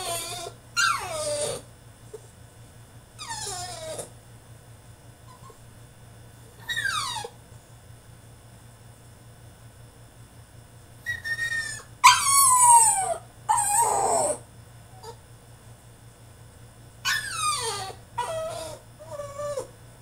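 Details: French Bulldog throwing a tantrum in his cage, letting out high whines and yelps that slide steeply downward. They come in separate bursts a few seconds apart, with quiet gaps between, indoors.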